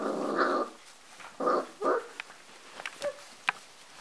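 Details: Golden Retriever puppies, AKC dark red, four and a half weeks old, eagerly eating and climbing a ramp to their food one morning; short tonal whines and yelps in bursts, with scattered clicks and taps between them.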